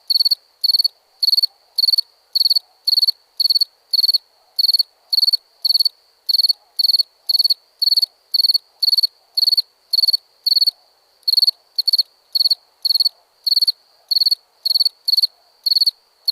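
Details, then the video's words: Nighttime cricket, possibly in India: loud, even series of pulsed chirps roughly twice a second, with a steady faint background trill and soft murmur beneath. "Night ambience cricket sounds"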